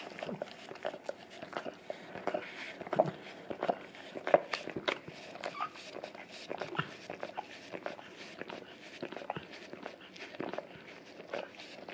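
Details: Indoors on a tile floor, an English cream golden retriever, male, licks peanut butter off a taped-down Orapup tongue brush; steady wet smacks and slurps, about forty-five per minute, uneven in rhythm.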